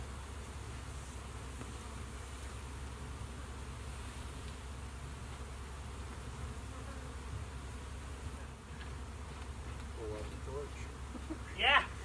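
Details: Constant deep hum of honey bees inside a bee shed, an unbroken drone holding steady throughout, ending with a brief sharp higher sound near the close.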